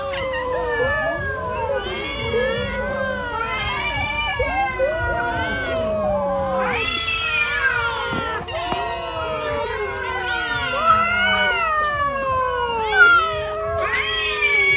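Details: Hungry cat eating food for dinner, meowing loudly and continuously: many overlapping drawn-out meows, each sliding up then down, crowding together with barely a gap, with faint clicks between.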